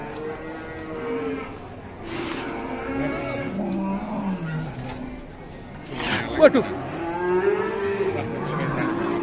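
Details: Fierce cow giving several drawn-out moos with gliding pitch, separated by short pauses, with sharp knocking sounds midway and steady crowd-like background noise.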